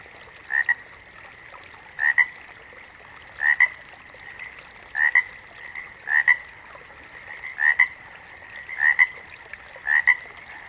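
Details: Series of paired, clipped frog croaks, about eight in ten seconds at a fairly even pace, with a constant high-pitched hum running underneath the calls.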